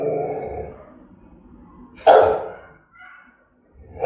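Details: Threatening bark from a German-style Rottweiler, used to provoke other dogs into barking: one deep, forceful, rasping bark in the middle, with soft breathy rumbling before it and the start of another bark at the end.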